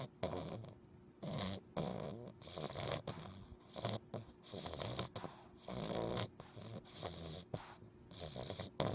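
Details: An English Bulldog puppy snores in his sleep in loud, rasping bursts, each breath rattling about once a second, while wiggling his toes.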